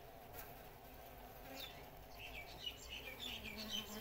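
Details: Honey bees hum steadily at a natural nest, a low droning buzz of many wings from a busy colony building comb and storing honey.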